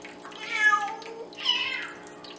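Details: A female Bengal cat "sings" loudly to the male cats: two drawn-out, tuneful meows, each bending down in pitch.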